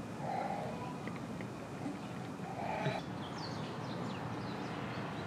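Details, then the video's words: Chimpanzee at Nogeyama Zoo, Japan, June 2024, calling out at snack time: two short tonal hoot-like bursts near the start and middle, with faint higher chirps later over a steady background murmur of visitors' voices. "おやつの時間はお声が出ちゃうんです 野毛山動物園 チンパンジー"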